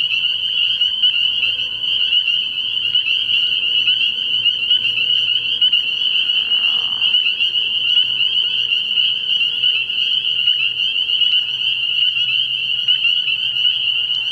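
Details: Spring peepers massed at a frog pond on an early spring night, producing a steady shrill chorus of overlapping high peeps, with a single short lower rasping call partway through.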